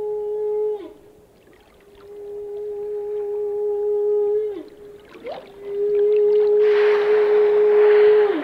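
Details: Sustained whale moans, each held two to four seconds and ending in a brief downward bend, with a sharp upsweep midway and a rushing hiss near the end.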